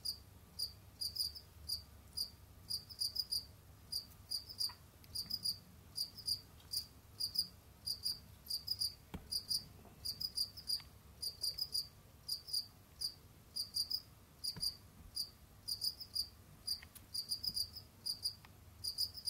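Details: Pet Jamaican field cricket indoors: steady run of brief, high, pulsed chirps, usually in twos or threes, following each other closely for the whole stretch, with a few faint clicks and a low background hum.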